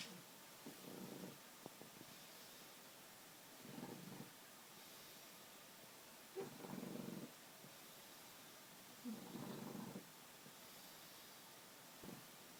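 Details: Quentin the Pug dozing in a sitting position, giving four rasping snore breaths spaced two to three seconds apart, softer and less even than a steady rhythm, with faint clicks between.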